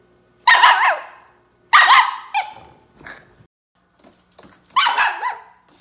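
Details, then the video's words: Nori, a young Miniature Schnauzer puppy between six weeks and six months old, complaining with loud, strained, wavering yips and barks, three main bursts with short quiet gaps and a few softer grumbles between. "My Dog COMPLAINS So Much! Spunky Miniature Schnauzer"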